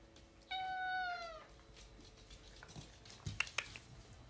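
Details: Alfie, a tuxedo house cat chatting with its owner indoors, gives one drawn-out meow that holds steady then dips at the end, with faint clicks and small room noises afterward.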